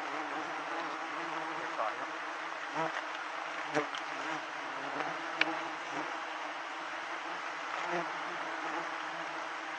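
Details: Swarm of giant honey bees at a wild hive harvested to help villagers: a thick, unbroken buzzing drone with strong low humming bands, plus scattered sharp knocks and taps from the harvesting work.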